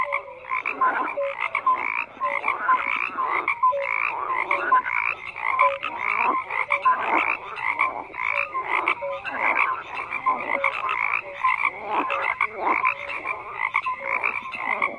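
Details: Many frogs croak at once in a thick, continuous chorus. Grating, buzzy pulses mix with brief clear peeps that repeat irregularly throughout, with no other sounds.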